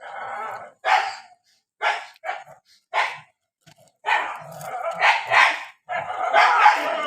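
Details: Barking dogs fighting in the rainy season, short sharp barks spaced about a second apart, building into longer overlapping growling barks near the end.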